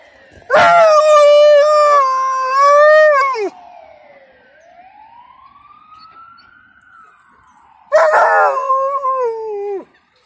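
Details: An excited Alaskan Malamute named Suzi howls along with an ambulance siren: a loud, rich three-second howl that wavers and drops at the end, a pause filled by the siren's long swooping wail, then another strong howl.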